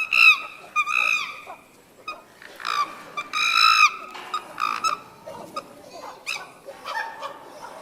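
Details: Several chimpanzees at Tama Zoological Park scream while heading back into their sleeping quarters: sharp, high, strongly harmonic shrieks in quick bursts at first, fading into shorter, quieter yelps and calls.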